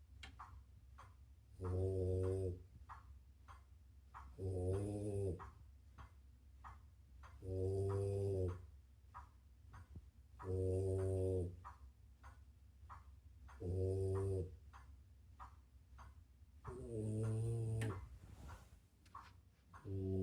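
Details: Female French Bulldog asleep indoors, worn out after playing all day with a doberman, paws wiggling as she snores: deep, rumbling, harmonic snores about every three seconds, six in a row, each lasting around a second, with a quiet background.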